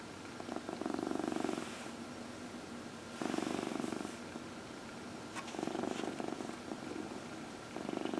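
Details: Purring from Dinah, a 14-year-old female cat, during her nightly early-evening lap massage, April 16, 2020: steady low buzzing rumble swelling with each breath about every two to three seconds, with brief rustling between cycles.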